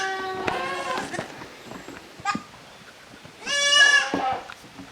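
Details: Kids of Koharu and Okayu at play in a Japanese goat farm's exercise yard, 13 June 2023; a harmonic bleat, a brief thud, then a louder, higher trembling bleat lasting almost a second.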